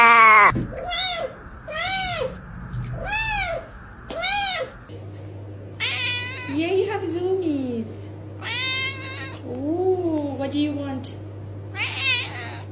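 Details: Domestic cat that sounds like it is talking, starting with a run of arched meows about once a second over a low hum, then longer bending, word-like meows with pauses.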